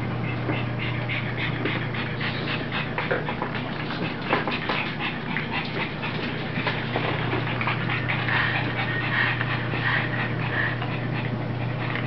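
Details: Rosie, a puppy, playing with its mother indoors: rapid breathy panting strokes, roughly one every second or faster, with scattered higher squeaky tones near the end over a steady low electrical hum.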